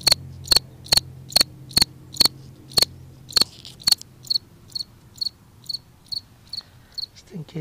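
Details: A cricket sings in a front yard at night, giving short, high chirps repeated steadily about twice a second.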